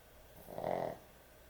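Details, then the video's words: Heavy-snoring dog asleep at bedtime lets out a single short, throaty snore that rises and falls within a second, with only faint steady background hiss around it. "강아지 수면영상, 코골이 강아지의 취침시간"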